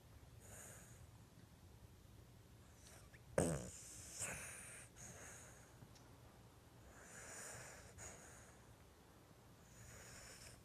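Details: Bailey, a small fuzzy Lhasa Apso, sound asleep on a couch indoors, snoring: soft breathy rasping snores roughly every three to four seconds, with one sharper snort near the start and a quiet room behind.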